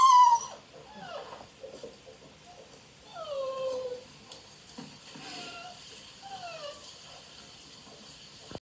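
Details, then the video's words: Beagle puppies outside seeking attention while others play fight in a dog house; high, sliding whimpers and whines, several falling in pitch, come in short bursts with quiet gaps between. "Beagle puppies out side wanting attention and other ones play fighting in dog house"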